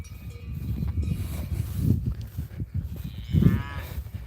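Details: Berrenda cattle, a native Iberian breed, give deep, low moos in the open field on a hot summer day, beneath a man's talking voice, with cicadas singing.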